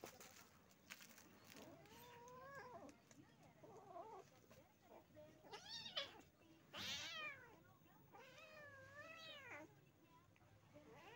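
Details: Village cat, a mother with her kittens: a string of about five arched, harmonic-rich meows over eleven seconds, some thin and high-pitched, others lower and drawn out, set against a faint steady background hiss.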